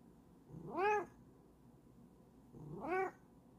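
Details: Bengal cat meowing twice, about two seconds apart; each meow starts low, sweeps upward and falls away, rich in harmonics, over a quiet indoor background.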